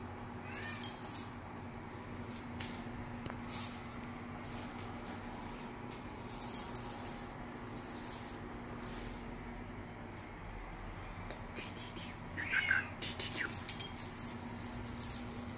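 A Bengal cat gives a brief, bending meow over a steady indoor hum.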